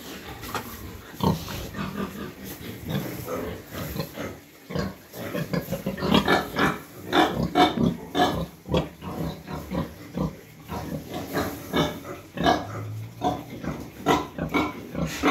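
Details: Sow just after farrowing, kept in a pen with her piglets during the cold season while rice hulls are laid and the piglets warmed. Dense, repeated rough grunts and squeals, rising and falling in loudness throughout.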